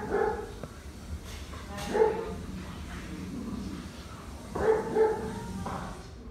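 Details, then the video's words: Barking at a beetle, a dog gives single sharp barks spaced a couple of seconds apart, then a closer pair, with faint clicks and background hiss between. "Dog barks at Beetle for minute"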